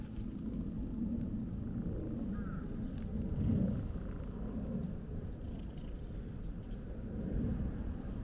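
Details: Steady low rumbling purr from a stray hachiware (black-and-white) cat being stroked continuously, met on a walk; dense grainy texture fills the low range throughout, with faint outdoor background.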